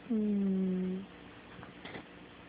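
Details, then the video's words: Cat snoring in its sleep: a single loud, humming, whistle-toned breath holds for about one second with a slight downward slide, followed by quiet shuffling. "Snoring kitty"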